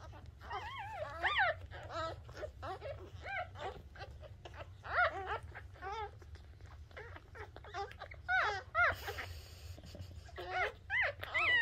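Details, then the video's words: Freshly born Shih Tzu puppy squealing right after birth: a steady stream of short, rising-then-falling whiny cries, some louder peaks, over a constant low hum in a small room. "Nacimiento Cachorro Shih Tzu"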